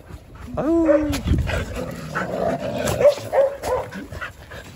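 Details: A Jindo dog on a winter morning gives a rising, drawn-out whine, then a few short barks. A man talks over it, telling the dogs no.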